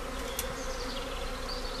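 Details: Swarming colony of British honey bees on the move at a visitor centre, tended by a local beekeeper; a dense, steady droning hum with a low tonal band, unbroken for the whole stretch.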